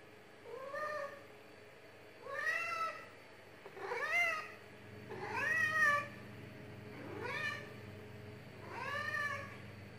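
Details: Tulip the cat meowing sweetly for food and attention: six rising-then-falling meows spaced roughly every one and a half to two seconds, each clear and tonal, in a quiet room.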